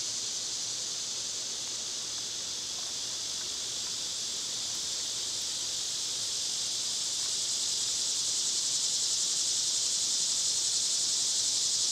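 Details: Continuous shrill buzzing of cicadas in summer, a smooth unvarying hiss that slowly grows louder toward the end, with no other clear sounds.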